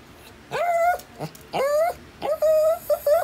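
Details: Shih Tzu at breakfast, being offered scrambled egg and eggplant; high nasal whines rising then held, three drawn-out cries with a short yip between, quiet room.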